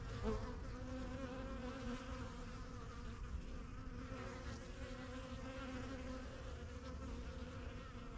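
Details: Steady, low droning hum from a busy backyard honey bee hive, the yellow box of a beekeeper's first few hives begun in spring 2023, as many bees come and go; even and continuous throughout.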